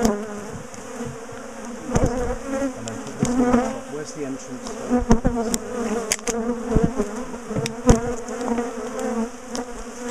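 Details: A large, defensive bee colony in a top bar hive, disturbed as it is dismantled, split and moved: a dense, steady drone of many wings with passing swells, broken by sharp knocks and clicks of hive handling.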